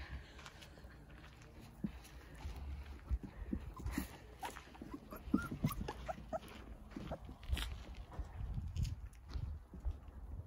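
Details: Young Jindo pups, nine in a spacious front-yard play enclosure set up for sun, whimper in brief high squeals and whines, irregularly spaced, amid rustling, thumps and low outdoor rumble.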